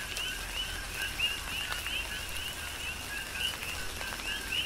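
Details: Coqui frogs heard through tropical rain on the Big Island of Hawaii, a handful of distinct short rising chirps spaced about a second apart against a steady rain hiss and dripping water.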